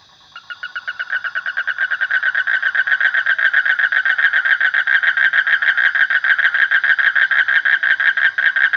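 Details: Frog giving a long run of evenly repeated, throaty pulses that swell from quiet to loud over the first few seconds and then continue steadily, with no other clear sounds.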